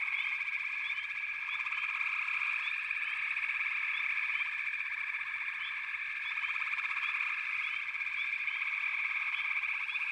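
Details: A continuous chorus of many frogs: a throbbing, trilled hum with frequent short upslurred notes overlapping throughout, level and unbroken.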